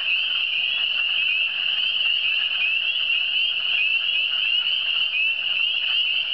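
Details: Massed frog voices in the cantons de l'Est, high and buzzy trills merging into a steady, slightly pulsing chorus with no gaps, a low faint hum beneath.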